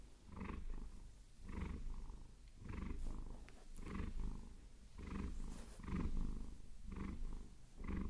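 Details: Vasilisa the Maine Coon purring during a long-nail massage, a soft, deep rumble in rhythmic breath-length waves, with occasional faint scratching of nails.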